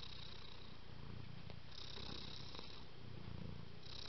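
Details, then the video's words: Low, even purring from a contented house cat enjoying affection, the rumble swelling and easing in breath-long cycles about a second apart over a soft steady hiss. "Приятно когда тебя любят кот"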